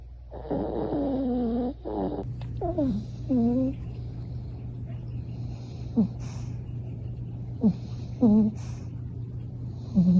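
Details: Lucy, a Pomeranian–Chihuahua pet dog from Lakeside near San Diego, California, snores while asleep: a run of low, wavering tonal whines in the first seconds, then shorter curved squeaky notes spaced out over a steady low hum indoors.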